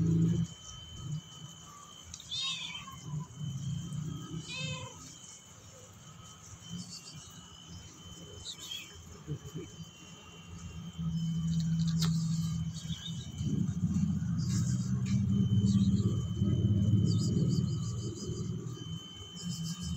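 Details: Several brief meows from Persian cats, mostly early on, then a louder low rumbling background with some faint knocks and indistinct noise.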